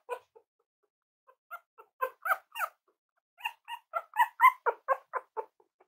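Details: Cavalier King Charles Spaniel puppies playing and exploring make thin squeaky whimpers that build into a fast run of sharp, rising yips, several per second, growing louder toward the end.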